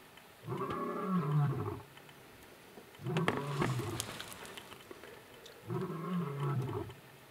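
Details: A Kalahari lion at Piper Pan, filmed from a camper, roars in deep, rumbling bursts, each over a second long, with pauses between.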